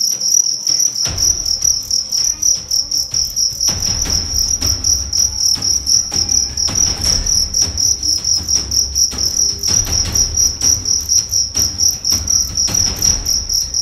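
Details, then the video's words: Fighting cricket bred in Karawang, West Java, size 7 and weighing 1.4 grams, being tested as a fighter: steady high-pitched chirping pulses repeated continuously, with low handling thumps and rustling noise underneath. "BAKALAN JANGKRIK ADUAN DARI KARAWANG"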